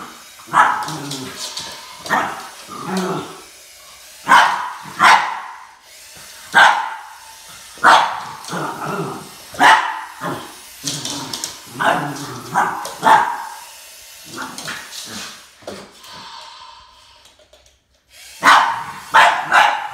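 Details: Boston Terrier named Max barking at a snake in a confrontation, sharp loud barks repeated in irregular bursts of one to three, with a short quiet gap before a final pair of barks.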